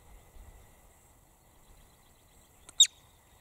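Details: A lone marmot scream near the end: one abrupt, very high, piercing shriek with a faint click just before it, after several quiet seconds of low outdoor rumble.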